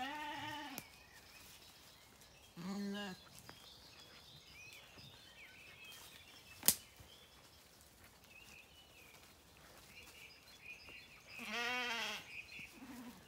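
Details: Zwartbles lambs in County Kilkenny, Ireland, searching for their mothers in the morning on rain-fed pasture; three short, separated wavering bleats spread over quiet field ambience with birds and a sharp click midway.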